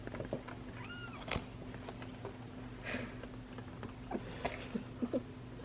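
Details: A tiny ginger male kitten, about four to ten days old and the runt of his litter, gives one short, high meow that rises then falls over a steady low hum; he squeaks in protest when interrupted while nursing.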